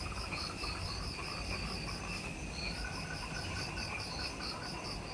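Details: Jungle insects at dusk, just after sunset, near the Mount Omoto trailhead on Ishigaki Island, Okinawa, Japan: rapid beaded high chirps and a steady mid-pitched trill layered together, unbroken, over a soft low hum.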